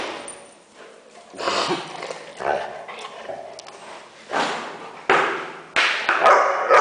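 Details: Weimaraner making funny noises, a dog giving short, irregular yips and whining bursts that grow louder toward the end, with sharp broadband onsets and quieter murmuring between them.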